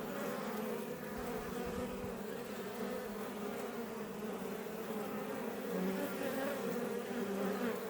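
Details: Many Iberian honey bees buzzing outside a Langstroth beebox near Roquetes in southern Tarragona, Catalonia, Spain; continuous low, layered hum with a deeper drone, growing slightly louder toward the end, no other sounds standing out.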